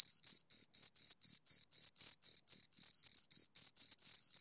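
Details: High, ringing cricket chirps from two insects, short pulses at about four per second, slightly uneven spacing, quiet background otherwise.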